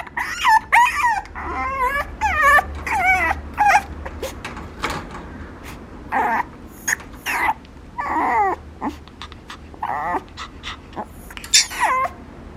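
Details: Young Papillon dog whining in bursts of high, quavering whimpers and short yips, some notes bending upward then falling, interspersed with brief sharp clicks and quiet pauses.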